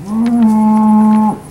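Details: Steer at a cattle auction sale in Alabama, 8 August 2013: a single steady, flat, droning moo lasting just over a second, loud and even throughout.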